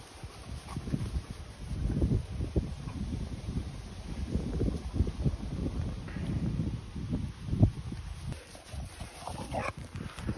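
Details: Continental Bulldogs Rita, a 10-month-old female, and her 2-month-old little brother Sumo, newly welcomed. Low, breathy, rhythmic puffs of panting or snuffling come in rapid bursts throughout. A brief higher sound rises near the end.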